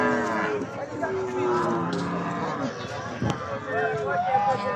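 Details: Cattle in a crowded pre-Eid al-Adha cattle market at Jamalpur-Chourasta, Gazipur, Bangladesh. Low, steady moos mixed with traders' voices and outdoor market bustle.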